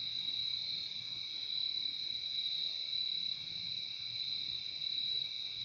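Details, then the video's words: Constant high trilling of many crickets fills the recording, a bright, even buzz layered at two pitches with gentle swells in volume and a quiet low murmur beneath, meant as soothing sleep sound. "Relaxing sound of crickets"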